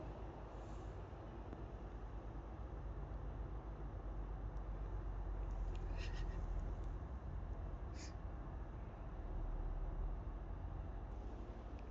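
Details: Steady low rumble like wind or passing traffic fills the recording, with a few brief faint clicks and no animal voice.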